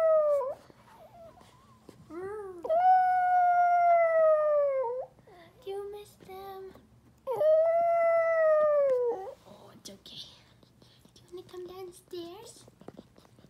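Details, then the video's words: A sad dog missing its owners gives long, wavering howls, each held for a couple of seconds before sliding down. "Sad dog howling"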